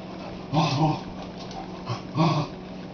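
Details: Boxster, a pet dog in a home kitchen, confronting a watermelon lying on the floor: two short, deep woofs about a second and a half apart, with a low indoor hum underneath.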